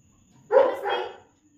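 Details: German Shepherd dog Rocky, working through a training session, gives a single short bark lasting under a second, a full harmonic burst that rises quickly and fades, against a quiet indoor background.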